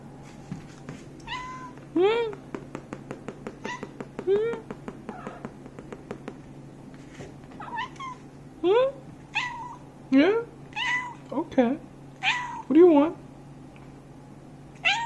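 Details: Domestic cat indoors trading calls with its owner in a back-and-forth exchange: repeated short rising-falling meows, several in quick succession near the start, then spaced meows alternating with quiet human speech in a small room.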